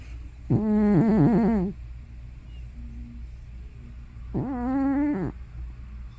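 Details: Sleeping elderly cat Hana, likely over 15 years old, giving loud sounds that seem halfway between snoring and sleep-talking: two drawn-out, quavering, moaning vocal bursts, each over a second long, separated by quiet, with a faint steady hum beneath.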